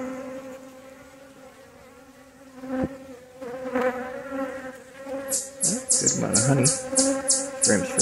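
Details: Honey bees at a relocated hive during a beekeeper's inspection, a steady droning buzz with layered tones that swells louder in the second half, with rustling and handling noises.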